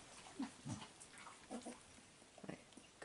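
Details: Koko, a five-week-old female Staffordshire bull terrier puppy from the 32nd litter at the Staffordland kennel, filmed 2 June 2018 while beginning to play with toys; short low grunting snorts near the start, then soft rustling and a man's voice.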